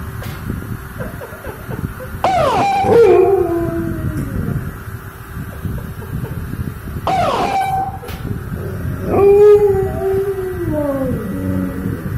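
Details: Pet dog howling in reaction to a car siren: long drawn-out howls that start high and slide down, three main phrases separated by pauses, over a constant background hum.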